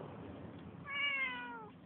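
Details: Tenshi, a neighbourhood cat, lets out a single clear meow of nearly a second that starts high and slowly falls, over a low indoor hum, with a person talking affectionately around it.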